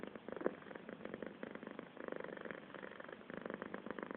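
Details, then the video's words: A cat's continuous purr: fast regular throbbing pulses in bursts, each breath cycle briefly easing then resuming, with one faint tap early on. "Traktor cat makes some noise"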